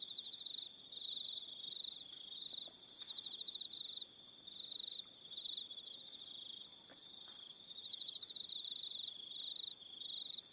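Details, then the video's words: Evening crickets on Aroha Island in New Zealand keep up a continuous shrill buzzing trill, swelling and briefly dipping, while several higher-pitched trilling voices come and go in overlapping bursts. "1 Hour Relaxing Evening Sound of Crickets"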